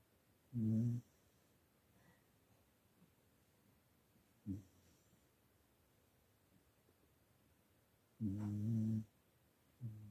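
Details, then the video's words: English Cocker Spaniel snores in its sleep, giving low, throaty, harmonic snorts spaced several seconds apart: one clear snore, a brief faint one, then a longer rumbling snore and the start of another, with quiet breathing between. "Я не храплю, Я сладко сплю) Английский кокер спаниель"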